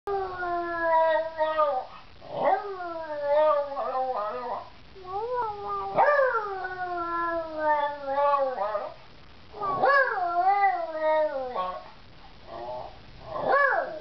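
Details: Georgie, a pet beagle, howls and sings with a little persuasion: long drawn-out harmonic howls, some sliding upward then falling slowly, in several bouts separated by short pauses, with brief yelping rises between them.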